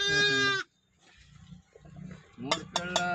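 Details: One-day-old lambs in a village: a loud wavering bleat opens, followed by a pause with low rumble, then several shorter rising cries close together.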